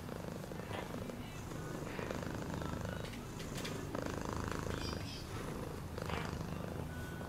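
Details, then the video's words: Domestic cat purring steadily, a low rapid rumble pulsing without pause, with faint scattered clicks and rustles above it. "Cat purring sound"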